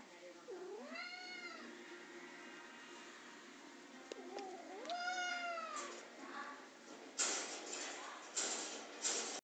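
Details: Male domestic cat playing with a mop, giving two drawn-out wavering meows about four seconds apart, then scuffling and clattering noises.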